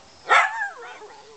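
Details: Pet dog barking on command to speak: one sharp, bright bark whose tonal tail slides downward and fades over about a second, right after a person's spoken cue.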